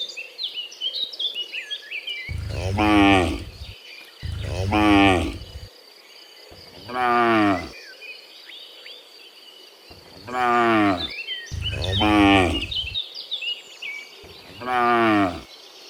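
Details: Cows in the morning returning from the field to the pen, lowing six times with long, drawn-out moos about every two seconds. Birds chirp steadily in the background.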